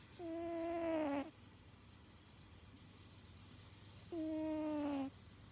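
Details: Pet cat snoring while asleep, which it does every time it sleeps. Two whistly, slightly falling tones, each about a second long, come roughly four seconds apart over a faint low hum.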